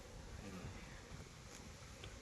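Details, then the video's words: Low, even buzzing of many honey bees on a beekeeping farm in Nellore, swelling slightly in the first half; a distant human voice is faintly mixed in. "honey bee faming"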